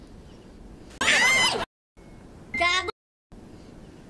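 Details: Desert rain frog. A desert rain frog gives two bursts of high, squealing squeaks, the second wavering with a harmonic ring like a squeaky toy. The squeal is its angry war cry, set against a faint background hiss.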